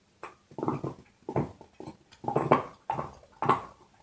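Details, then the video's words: Dog gnawing on a bone, close and clear: loud broadband crunches in quick irregular bursts, roughly one to two per second, with short pauses between bites; nothing else heard. "Hund kaut Knochen - Dog is chewing bone"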